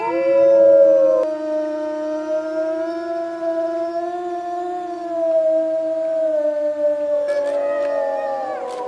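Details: Grey wolf howling at midnight in a forest: one long, steady, slightly wavering tone with rich harmonics, held about seven seconds, then a second voice joining briefly near the end.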